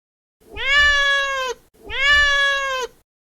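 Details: A cat meowing twice, two matching drawn-out meows of about a second each with a short pause between, steady in pitch and clearly harmonic; a faint low rumble underneath.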